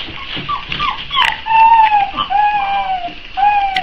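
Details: Hungry Boxer pups, four weeks old, whine while waiting to be fed: drawn-out, slightly falling whimpers, some long and steady, overlapping from several puppies over a background of rustling and a brief knock.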